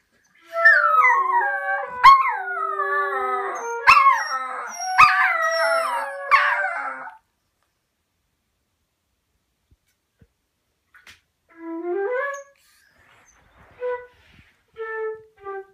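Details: Dachshund pups howl together along with their owner playing the flute, in long, wavering, overlapping cries that slide up and down in pitch.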